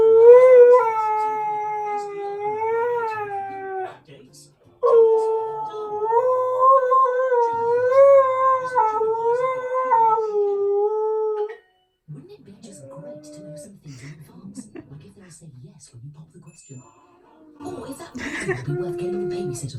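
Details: A Siberian Husky hums in long, wavering, howl-like tones that rise and fall in pitch, humming instead of singing properly when too lazy.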